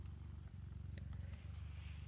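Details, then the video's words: Nursing mother cat purring while being petted; a low, rhythmic rumble pulsing rapidly and evenly, with brief soft clicks and rustles over it. "Is this cabinet purring?"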